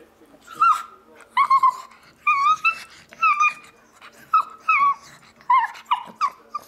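A pug gives a series of high, wavering yips and whines that sound oddly monkey-like.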